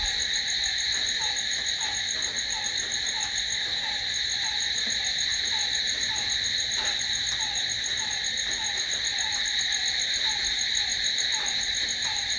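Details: Steady night-time cricket chorus, an even high-pitched ringing trill held throughout, accompanied by a repeated short descending note at a lower pitch roughly every third of a second.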